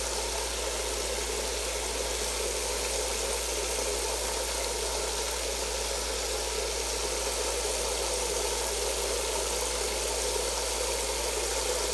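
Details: Steady broadband hiss of running shower water fills the whole recording, constant and unbroken, with no animal voice heard.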